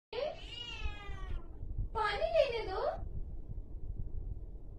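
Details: Angry domestic cat giving two drawn-out, wavering yowls, the first long and falling, the second shorter with a rising and dipping rough pitch, over a low steady indoor background hum.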